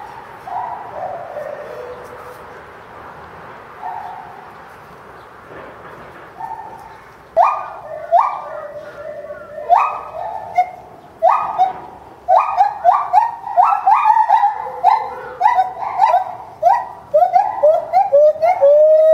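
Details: Bornean white-bearded gibbon calling intensely while bounding about its zoo enclosure at Higashiyama Zoo and Botanical Gardens, January 2011: soft, sparse falling hoots at first, then loud hooting bursts that grow faster, ending in quick upward-sweeping whoops.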